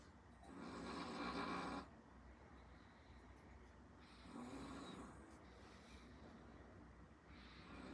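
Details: Eight-month-old Chihuahua named 招財, born 25 August 2024, snoring while asleep; two broad breathy snore bursts, one long around the first two seconds and another near the middle, with quieter rasping breaths between them indoors.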